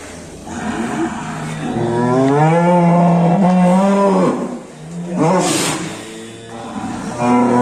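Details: Large show-class cattle being led out of their pen in Indonesia; a long, low, drawn-out moo holds steady for about two seconds, followed by shorter lowing, with music playing in the background throughout.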